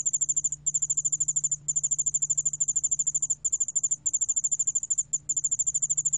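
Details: A cricket, 여울알락방울벌레 in Korean, recorded in 2020 by Korea's National Institute of Biological Resources, trills in a high, rapid stream of pulses broken by brief pauses.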